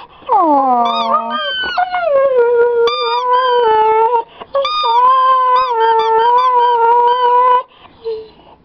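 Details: Siberian Husky whining as his squeaky toy is squeezed: a long, drawn-out tonal cry that slides downward, then holds steady with wavering pitch for several seconds, broken by brief sharp toy squeaks.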